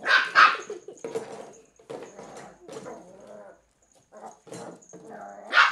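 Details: Female Cairn Terrier puppy, three months old, tackling an empty bottle: a pair of loud barks opens, a woman's encouraging speech and softer yaps follow, and another loud bark closes.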